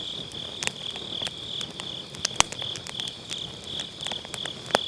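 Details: Grass insects on an autumn night, captured with a Sennheiser MKE600 using low cut beside a round fire pit: a steady high, pulsing trill runs throughout, while sharp crackles and pops from burning firewood break in irregularly.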